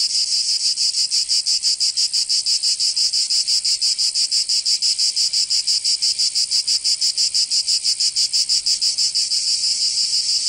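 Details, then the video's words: Summer chorus of cicadas in Provence, in the south of France, a continuous high rasping buzz beating in regular pulses roughly three per second throughout, nothing else audible. "Canto Cigarra 🦗 [ Escuchar les cigarras en verano 10 H]"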